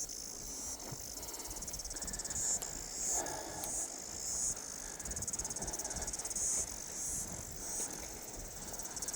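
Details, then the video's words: Cicadas singing in summer at Bell Block Beach, New Zealand, heard during a dog walk: a high, pulsing, shimmering buzz that swells and fades over the rumble of footsteps and wind. "Oh, that's the cicada sound."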